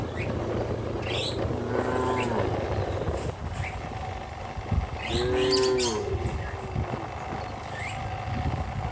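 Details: Cows being led to their pen by a farmer in the evening; two drawn-out, low harmonic moos, the second longer and louder, over steady farmyard background noise with a few faint higher chirps.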